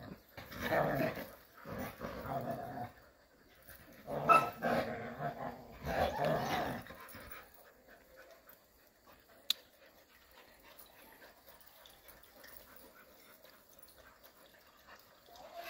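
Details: Jindo dogs playing happily together in the countryside; rough growls and bark-like bursts come in clumps over the first seven seconds, then the dogs fall quiet with only faint rustling and a single sharp click.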